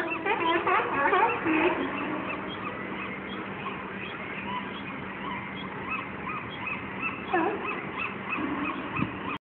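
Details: Fighting sea lions at San Francisco's Fisherman's Wharf, 2012. Loud, harsh barking and honking at the start, then a quieter stretch of scattered, overlapping calls, with another bark burst near the end.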